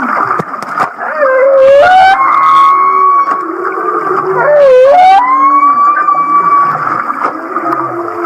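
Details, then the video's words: Off Kihei, Maui, a humpback whale sings its so-called laughing song: two wavering swoops, each dipping low and sliding up into a bright sustained whistle, with low grunts underneath. "The Laughing Whale"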